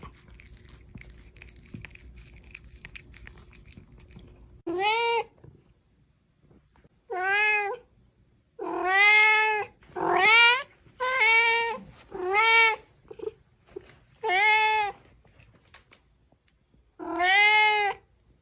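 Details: Indoor house cat meowing repeatedly after a quiet start: about eight clear, tonal meows, each rising slightly then falling, spaced one to two seconds apart, some longer and plaintive, against a near-silent background.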